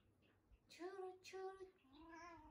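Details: Pet cat, just woken, reacting to the word "churu" for a treat: three clear tonal meows, the first two short and level, the third lower, longer and slightly falling, in a quiet room.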